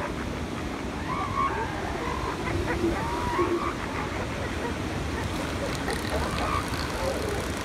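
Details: Elephant seals at San Simeon in January 2016, giving drawn-out nasal honking calls that bend up and down, several overlapping, over a steady roar of surf with faint human voices behind.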